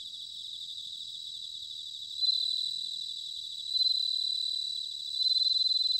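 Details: Autumn bell cricket song from Sanuki, Chiba, Japan, recorded with ZOOM H6 and TASCAM DR-05X: a close singer gives clear ringing pulsed phrases about every 1.5 seconds, each fading away, over a steady background of high trilling crickets.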